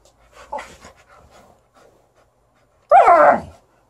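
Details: Female Alaskan Malamute indoors, playing with her ball on a bed she has messed up. Soft snuffling and breathy sounds come first, then one loud, harmonic, whining vocalization about a second long that slides downward in pitch.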